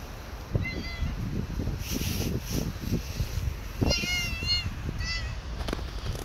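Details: Hungry stray cats on the street, climbing onto a lap; a series of clear, wavering meows, one early then three in quick succession near the end, with rustling, handling noises and low outdoor rumble.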